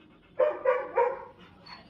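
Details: Jackie, a Labrador Retriever puppy in crate training, lets out three quick, loud barks in a row within about a second, then falls quiet.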